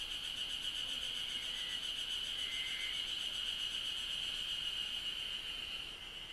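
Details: Cicadas in Japan drone in a steady, high, shimmering buzz that never lets up.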